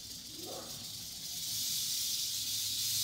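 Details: Eastern diamondback rattlesnake rattling: a steady, dry, high hiss-like buzz that swells louder through the second half, with a faint low hum underneath.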